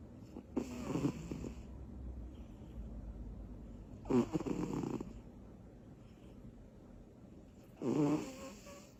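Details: Butters, a small female cat, snoring while asleep after tiring herself out with energy bursts indoors; three rough, rasping snore breaths spaced about three to four seconds apart, separated by quiet.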